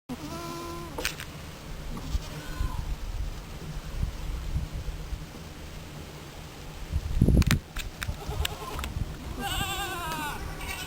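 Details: Goats on Blue Goat Farm, big males resting lazily: a wavering, nasal bleat opens the recording, then a quieter stretch with thumps and rustles, and another quavering bleat near the end.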